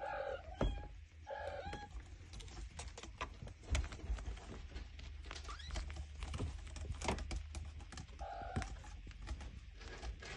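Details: Five-week-old Minskin kittens playing indoors, with a few short, tonal meows at the start and again near the end, amid frequent thumps, bumps and scuffling noises of play.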